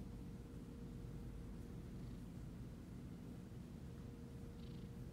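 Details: Siamese cat being petted, purring in a constant deep rumble with a fine rapid flutter, level throughout, with occasional light rustling of fur or hand strokes.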